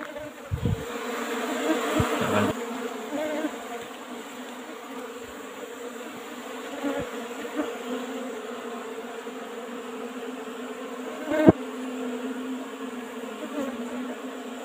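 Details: Asian honey bees (Apis cerana) kept in an old-style wooden box during a honey harvest: a steady, low, even hum of many bees, with a few brief knocks and thumps from handling the hive.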